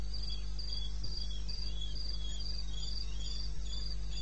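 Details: Night chorus of crickets in eastern Botswana's wilderness, recorded around 2:30 AM, 21 May 2016. Evenly spaced shrill pulses, about two per second, with a lower-pitched cricket trilling beneath and a constant deep drone.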